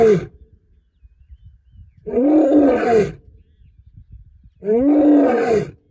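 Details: Serengeti lion roaring close up: the tail of one roar opens the recording, followed by two long, deep, grating roars of about a second each, separated by brief near-silence with soft low rumbling.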